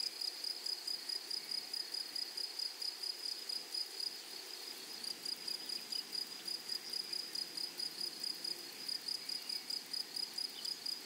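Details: Flowery prairie meadow with grasshoppers giving a continuous, shrill, pulsed chirp, beats evenly spaced at roughly two per second throughout, over a soft, low background hiss.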